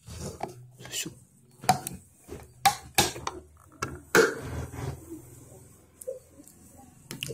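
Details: Indoor clatter, drips and sharp clicks with faint background speech; no animal calls are heard.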